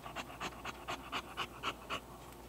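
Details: Heavy breathing from an excited English Bulldog indoors: evenly spaced raspy pants, roughly four per second, each a brief breathy burst, with no other sounds intruding.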